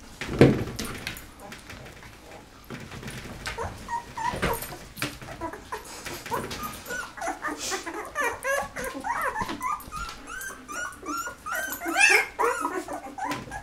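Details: Penny's eleven Golden Retriever pups, 13 days old with eyes just opening, start quietly, then build into a steady chorus of short arched squeaks and whines indoors, several puppies calling at once.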